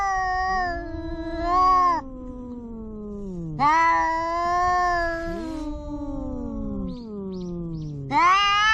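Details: Family cats squabbling face to face. A steady low, wavering moan runs throughout, broken by sharper, higher yowls at the start, middle and end, plus a few faint clicks.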